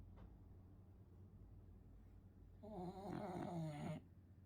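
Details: French Bulldog snoring in its sleep: soft breathing, then a single loud, rasping, buzzy snore lasting over a second and ending abruptly.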